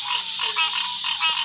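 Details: Green tree frogs calling loudly at a small pool on a farm in Smithville, Mississippi, in a dense chorus of nasal, bell-like notes, alongside Southern cricket frogs and Barking tree frogs.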